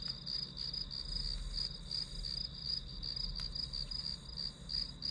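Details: Grass insects chirp in a high, ringing pulsed trill, about three pulses a second and a little irregular, heard as white noise during a study session, with one short click and a faint low hum.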